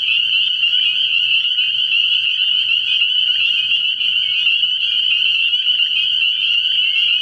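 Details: Night chorus of many spring peepers at a frog pond in early spring, an unbroken wall of high shrill peeps overlapping continuously, without pauses, for the whole stretch.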